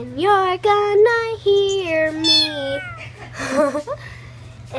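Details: A pet cat meows repeatedly in a quick run of about five short, slightly wavering mews, followed by a few softer sounds, with a low steady hum underneath.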